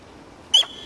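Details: Wild sika deer on its rutting grounds at Jægersborg Dyrehave, Denmark, on an October afternoon in 2007: one abrupt, sharp high whistle, very brief, falling slightly, then a thin steady tone lingering after it against a quiet background.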